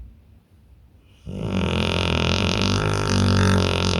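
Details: Pit bull snoring in deep sleep: near silence for the first second, then a loud, rough, droning snore with a strong deep buzz sets in and holds steady to the end.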